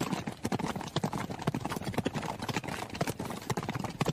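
A horse's hooves thud in a quick, steady beat as it runs.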